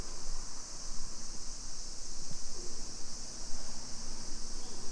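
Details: Summer cicadas in a suburban neighborhood of Nisshin city near Nagoya, Aichi Prefecture, Japan, at 2 PM on 28 July 2021: a steady, unbroken high-pitched droning hiss fills the air over a low background rumble.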